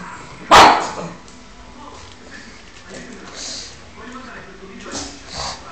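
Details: A pug gives a single sharp, loud bark, seemingly at a perceived enemy (Spiderman), followed by quieter murmurs and faint background voices.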